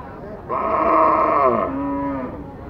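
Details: Cattle at a haat livestock market in Bangladesh give one loud, drawn-out moo lasting nearly two seconds, steady then falling at the end, over a low murmur of market background noise.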